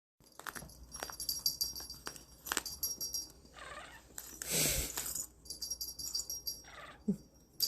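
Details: Domestic cat named Tyga calling in response to a toy being shaken: a short, tonal, rising-then-falling cry midway through, set against repeated metallic jingling and rattling from the toy and some soft handling noise.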